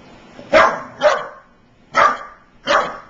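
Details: Young American Staffordshire Terrier, five months old, reacting to running electric clippers on first meeting them. Four sharp, rough barks come within three seconds, unevenly spaced, with a faint motor hum underneath.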